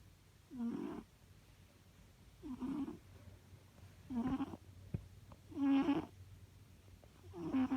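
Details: Cat snoring in its sleep: five soft, raspy snoring breaths roughly every one and a half seconds, low and rumbling, in a quiet room with faint background hum.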